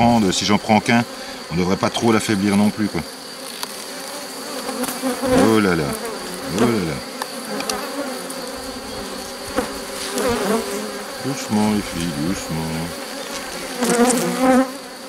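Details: Honey bees at a drone-laying hive under rescue on 3 May 2021, with a brood frame and its nurse bees brought in from a neighbouring, rather aggressive hive. Loud swooping buzzes of bees flying close past repeatedly, rising and falling over a steady background hum.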